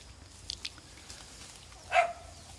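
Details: A dog gives a single short bark after a couple of faint clicks in a quiet outdoor setting, during a morning of goat weeding and whistle-recall training in Okinawa; dog.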